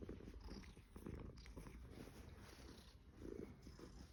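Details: Somali cat purring in a Shanghai apartment on Caoyang Road, 16 May 2016; continuous low rumbling purr, rising and falling with each breath, fairly quiet against a faint room hum.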